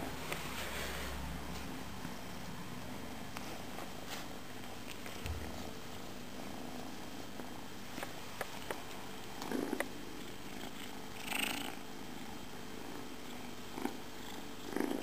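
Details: Domestic cat purring indoors: a soft, steady low rumble that runs through the whole recording, with a few faint clicks and rustles on top.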